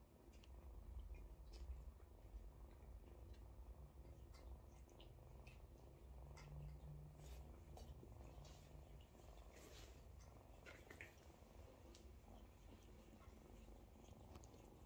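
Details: Kittens waiting by their mother to be licked and fed while she purrs; a continuous deep rumbling purr lasts the whole stretch, with light licking and rustling clicks above it.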